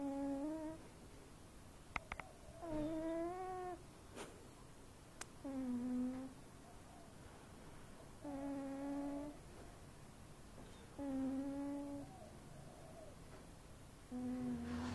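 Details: Overweight pet cat asleep and snoring; rhythmic, humming snore breaths, each a short nasal tone that sags in pitch, repeat roughly every two and a half seconds against near silence with faint clicks.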